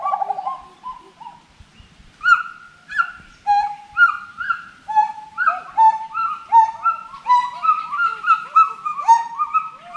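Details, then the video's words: Forest monkey calling: soft low hoots, then loud arching whoops that swoop up and down, overlapping and quickening into a dense series of rising and falling cries, several voices layered. "FOREST MONKEY VOICE"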